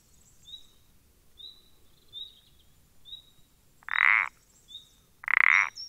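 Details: Common parsley frog (Pelodytes punctatus) recorded 14 April 2020: two loud, rasping, pulsed croaks about 1.4 seconds apart near the end, with faint thin high whistles from another caller repeating through the background.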